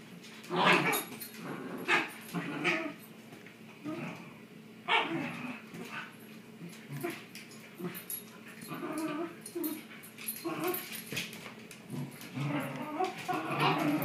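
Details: Shiba Inus play tug of war, one giving rough, grumbling growls broken by short, high yips in irregular bursts.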